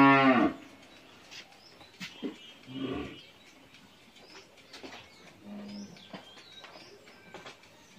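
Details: Eleven-month-old Friesian heifer calf at a dairy farm in Pabna, Bangladesh: a short loud moo opens, followed by two softer low grunting moos, with faint bird chirps and scattered knocks in the quiet background.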